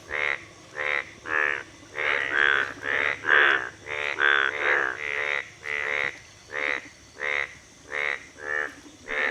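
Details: In Baishakh, before the monsoon, yellow-golden frogs gather in rain-filled pools by a village river to breed. Many voices overlap in a breeding chorus of harsh, rasping croaks in quick succession. Green frogs are also present.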